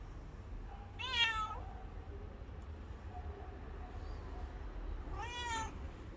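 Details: Homeless abandoned street cat stopping a person and asking for love; two clear harmonic meows about four seconds apart, the second rising then falling, over low background rumble.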